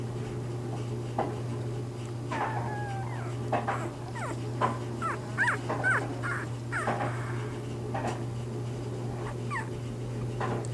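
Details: Bernese Mountain Dog pups in their first days of life, litter of Bear: many brief squeaky whimpers and chirps scattered throughout, some rising or bent in pitch, several puppies overlapping, with a constant low hum beneath.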